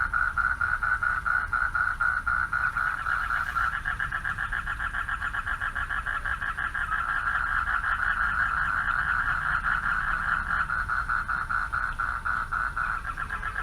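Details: Male frogs calling for mates from a pond beside a dark path at night; a dense, steady chorus of rapid pulsed croaks overlapping continuously, with low background rumble.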